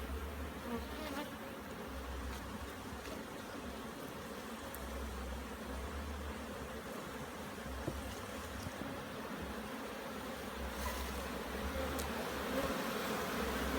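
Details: Jamaican bees swarming around their hive during an inspection, as the super box is checked before the brood chamber. An even, droning buzz fills the whole stretch and swells slightly toward the end, over low wind rumble.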